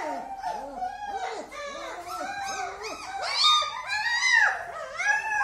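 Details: Several German Shepherd puppies in Delhi, India, crying together indoors. Overlapping short arched whimpers and squeaky yelps run continuously, with higher, louder squeals in the second half.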